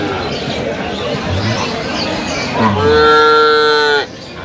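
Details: Cattle at Aftabganj market in Dinajpur, where improved-breed milk cows and calves are sold, 21/10/25: murmuring voices, then one long, steady, loud moo lasting over a second that cuts off abruptly.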